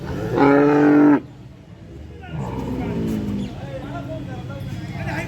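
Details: Cattle at the Friday cow market in Malegaon, Maharashtra, India, on 29 March 2024, where HF heifers in their first lactation are sold: one loud, harmonic, drawn-out moo lasting under a second, followed by people talking and market bustle.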